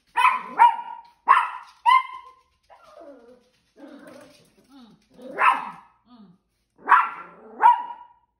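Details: Female Yorkshire terrier eager to chase other dogs, giving loud sharp barks, often in quick pairs, with softer whimpering sounds in the pauses between them.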